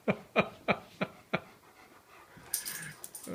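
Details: Leonbergers at play: a two-year-old male, Uzi, and an almost four-year-old female, Elsa, meeting for the first time off leash. Five deep, sharp barks repeat about every third of a second, followed by scuffling and rustling.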